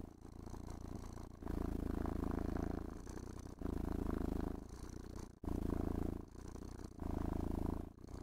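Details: Pampered pet cat purring while brushed and stroked, a throaty vibrating drone pulsing in alternating strong and softer phases about every one and a half seconds, accompanied by gentle brushing scrapes.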